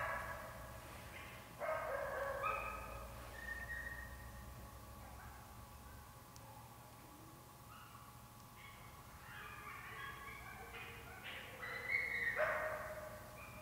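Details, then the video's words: Wolves and coyotes roughly 60 yards distant following a deer chase; broken, wavering howls and higher yipping calls from several animals, quieter in the middle, louder yelping near the end. "Wolves & Coyotes"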